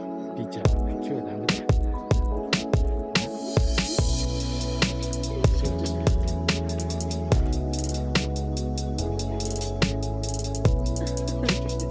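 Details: Electronic music with a steady deep bass line and sharp percussive hits, with no animal sound heard.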